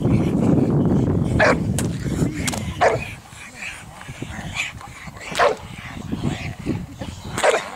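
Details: Boxer from a Boxer Club practising for character tests at a regional breed show, at a canine training centre in St Georges d'Orques, France; a series of about seven loud, clipped barks, irregularly spaced, with low rumbling noise early on.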